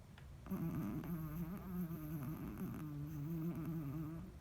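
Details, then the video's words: A sleeping Chihuahua that a vet found healthy gives a wavering, low, tonal snore, a nasal hum that rises and dips slightly and runs almost unbroken for about four seconds in a small room. "Snoring Chihuahua"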